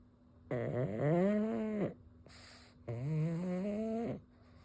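A pug snores in loud, rasping breaths that rise in pitch, like a revving chainsaw.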